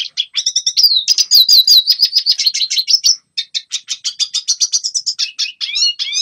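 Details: Red siskin song for teaching young birds: quick, high chattering with a wavering whistled run near the start, a short gap at three seconds, then more rapid chirping and upward-slurred notes.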